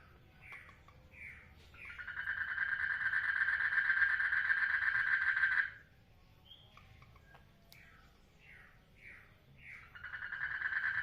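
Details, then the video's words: Frogs mating in a water lily pond: one gives a long, steady mid-pitched trill between bursts of short, quick, falling chirps. "FROGS MATING IN WATER LILY POND - Sounds of Peace"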